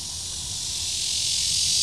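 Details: Red-veined cicada singing in the Shezi artificial wetland on 2 July 2016: a continuous, dense, high-pitched hissing buzz that steadily grows louder, with faint low rumble underneath.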